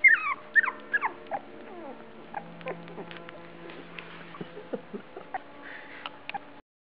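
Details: At feeding time on September 12, 2010, Australian Shepherds give loud squeaky yips bunched at the start, then a run of softer, scattered whimpers and small squeals before falling silent.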